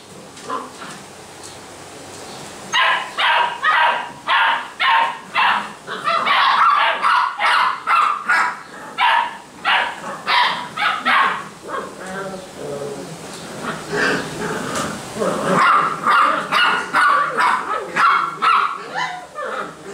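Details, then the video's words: Basset Hound puppies at a Brazilian kennel barking in rapid, uneven bursts of high yips, about two per second, in a long run from the third second onward, with brief pauses between volleys. "BASSET HOUND filhotes"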